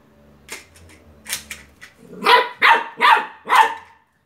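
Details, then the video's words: Beagle puppy facing a toy car, soft scattered noises first, then four loud barks in quick succession over the final two seconds. "Beagle puppy barking at a toy car"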